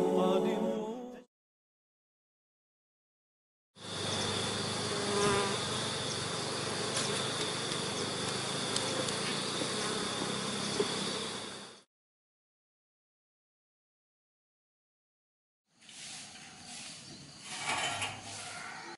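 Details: Honey bees during a natural honey harvest by beekeepers: a dense, steady buzzing hum lasting about eight seconds between silent gaps, followed by a shorter, rougher burst of buzzing near the end.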